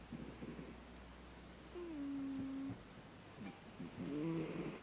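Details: Sleeping kitten snoring: soft, low rasping breaths at the start and again near the end, with a steady low whistling tone in between over a constant background hiss in a quiet indoor space.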